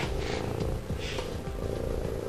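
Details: A serval named Reyna, who likes to cuddle, purrs in a low, steady rumble while cuddling, with soft music playing behind.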